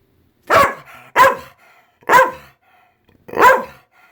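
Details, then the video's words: Senior female Pit Bull protesting because it is raining out: four loud, sharp barks spaced about a second apart, each one strong and broad, with a woman's voice between them. "Pit Bull isn't happy that it's raining out!"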